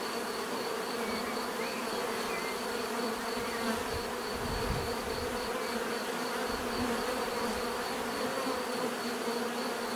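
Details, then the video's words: Many bees hum together in a constant buzzing drone, with brief low rumbles midway and a few faint chirps above. "bees therapy relaxing natural buzzing sound"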